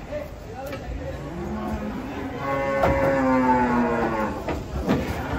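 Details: Enraged cow coming off a truck, one of three unruly cattle, lets out a long harmonic moo that swells and holds steady, with sharp knocks, shouting people and faint music around it.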